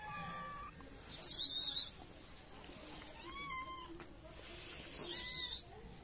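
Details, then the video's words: Hungry stray cats in Morocco begging for food and attention, giving a few sharp, high meows spaced a couple of seconds apart, each with a bent, wavering pitch, over constant street hiss. "Two Cute Cats Want Attention And Two Shy Cats, But Everyone Is Hungry."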